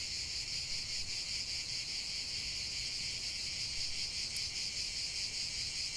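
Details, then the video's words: A continuous wall of shrill cicada song, a high sizzling drone that throbs slightly, with one tiny sharp tick near the end and nothing else distinct. "45 min de chant des cigales"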